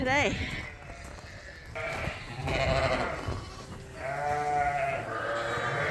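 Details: Suffolk lambs mixed into one big group in a barn after a gate was left open, racing around; a few wavering, harmonic bleats come through between a person talking.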